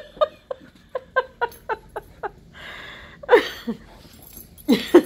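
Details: Indoors, a Husky and a Malamute romp together on the couch in their nightly zoomies; a steady string of short, bright yips about twice a second, then a pause and a few louder, rougher whining cries.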